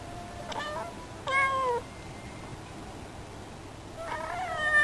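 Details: Female cat vocalising at a faraway bird as if complaining; soft broken mews, a sharper descending meow, then a rising plaintive mew at the end over quiet room noise.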